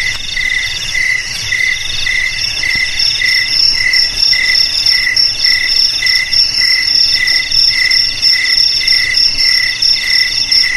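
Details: Cricket chirps meant to scare rats from house, garage, storeroom or paddy field: crisp, regularly spaced high chirps about every second beneath a sustained ringing trill.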